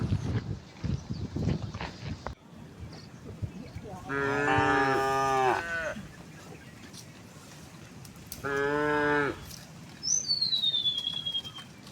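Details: A tame cow in a herd walking towards a wide pasture on a quiet, sunny morning gives two long, deep, droning moos, followed by a brief bird whistle.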